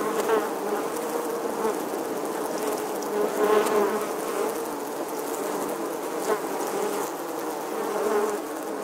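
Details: Steady, dense hum of many western honey bees (Apis mellifera) nesting in the stonework of an 11th-century English church wall, filmed in August 2020; the buzz swells and eases in waves.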